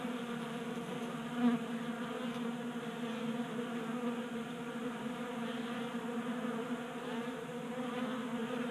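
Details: Several honey bees at a 3D printed feeder in a Colorado garage on a 60-degree January day, giving a steady, rich buzzing drone of overlapping wingbeats with a small bump in volume early on.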